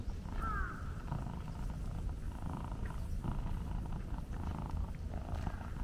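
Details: Stray black-and-white hachiware cat met on a walk, purring while stroked for a long time, filmed on a DJI Pocket 2 gimbal camera; a steady low rumbling purr runs throughout, with a short higher harmonic call early on.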